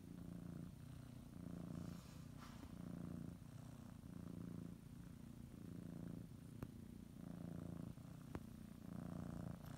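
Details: House cat purring as it settles for a morning nap, kneading and biting its blanket; close, low vibrating drone pulsing with each breath, a couple of faint clicks partway through.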